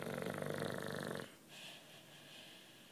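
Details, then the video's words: A loud, rattling snore from Juanito, a nine-year-old British bulldog asleep, cut off after about a second, then a softer wheezy exhale fading into a hushed breath. "Bulldog Snoring"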